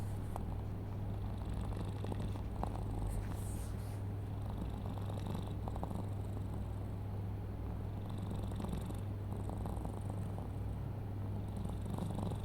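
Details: A pet cat named Mochi snoring while asleep: a low, steady, buzzing rumble that runs on without pause, with faint rustles above it.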